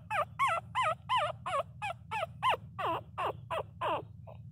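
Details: Loud crying from Miniature Pinscher puppies, a run of rapid bending whines roughly three a second that grow longer and more drawn-out toward the end, with a constant low background hum.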